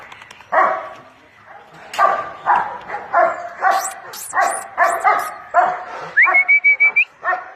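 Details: Pet dog barking during its bath, a steady run of rough harmonic barks, with a high whistle-like tone and several high squeaky sounds among them.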